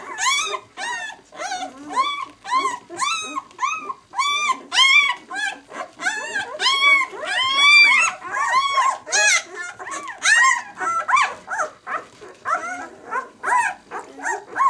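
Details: Newborn White German Shepherd pups, six days old from the "of White Night" B litter, squeal loudly in quick succession. Each call arches up and down in pitch and comes about every half second, with brief pauses between bursts.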